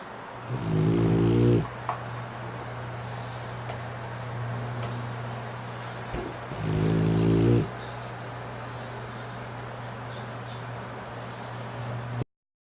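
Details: Snoring French Bulldog Lasha, sprawled on a pink futon with eyes open after tiring play, lips puffing; two loud rattling snores roughly six seconds apart, quiet breathing and steady electrical hum between them.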